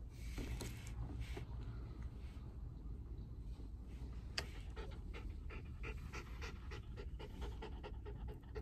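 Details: A frightened, restless Mameshiba in a car, climbing onto its owner's lap to calm down, gives scattered breathy pants that grow into faster rhythmic huffing near the end, over constant low road and engine rumble.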